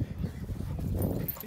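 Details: Two dogs at play: Lizzie, a rescued Staffy Ridgeback cross born 2012 with a history of abuse, and Jasper, an energetic Cockapoo puppy. Low, rough rumbling growls run steadily throughout, with no talking.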